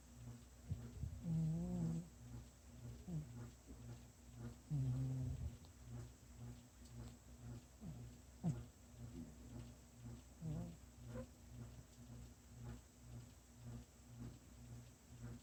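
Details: Domestic cat snoring, soft low rumbling breaths repeating roughly every three to four seconds, quiet and steady, with a few brief faint higher wavering tones early on.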